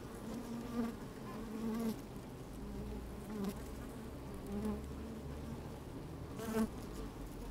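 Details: Honey bees working inside an open hive on a fine sunny day, microphone slid down among them: a steady low droning hum with brief louder buzzing swells, a few soft clicks and rustles as the bees move about.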